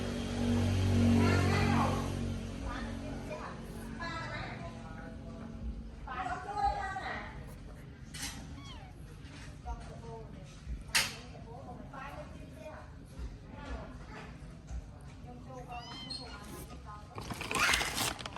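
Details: Abandoned baby kitten being given its first safe meal, calling with a run of thin, high arched meows, some rising then falling, scattered through the middle stretch, while people talk nearby and soft background noise continues.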